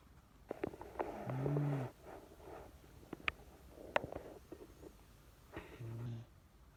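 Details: Sleeping Miniature Dachshund Chage, described as having gotten old, lets out a low snore near the start and a shorter, fainter one near the end, with scattered clicks and soft rustling between them.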